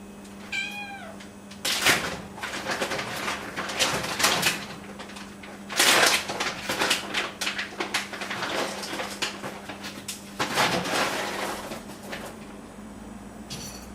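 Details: At half past one in the night, a pet cat or kitten (the pair are Momo and Nana) begs for food: one clear, descending harmonic meow near the start, followed by a long stretch of clattering, knocking and rustling indoor sounds.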